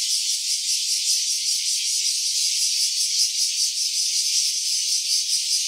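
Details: Cicada buzzing in stereo, recorded on an OPPO Reno A: a shrill, rattling drone throbbing roughly two and a half times per second, loud and continuous from start to finish.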